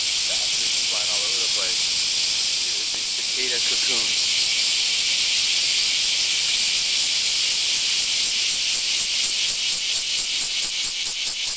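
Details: Summer cicadas, semi, outside a home in the Kansai region of Japan, starting early morning and going all day: a dense high buzzing wall of sound, pulsing rhythmically toward the end, with brief quiet speech near the start.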